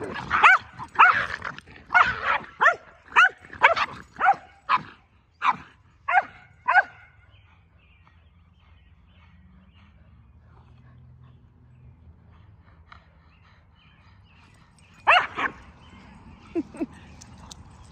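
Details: Boston Terrier and Keeshond at play in a jousting game; a burst of quick sharp barks over the first seven seconds, then near silence with a low rumble, and a few more barks near the end.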